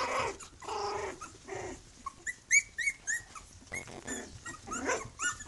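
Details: Three-week-old litter of puppies with mother Bhoomi: a run of short, high, falling squeaks in the middle, over steady background rustling and low noise that stays throughout.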